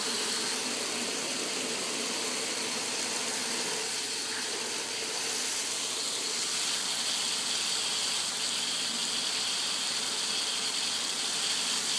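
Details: A steady, broad hiss like rushing water or an engine fills all twelve seconds, with no animal voice.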